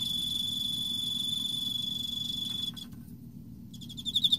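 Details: Autumn Emma field cricket holding a steady, high, ringing trill for over two seconds. It fades to near silence, then a fresh run of quick pulsed chirps rises at the end.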